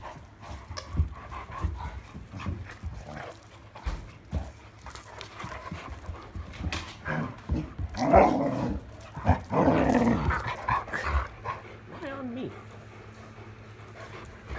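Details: Irish Setter playing with a new toy indoors at night, 26 July 2022: low scuffling at first, then two loud rough growling bursts in the middle, then a thin falling whine near the end, with handling noise throughout.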